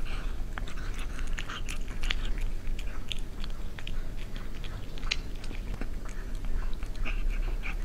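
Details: Cat eating in close ASMR-style recording: dense run of sharp crunching and chewing clicks, some bright and snappy, scattered throughout, over a constant low rumble.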